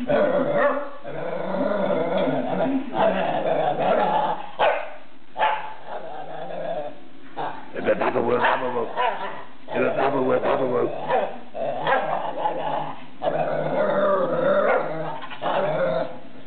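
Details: Whippet goading a second dog, voicing a near-continuous warbling, groaning 'yabull' chatter with wavering tonal notes and brief gaps, occasional rougher growl-like stretches throughout.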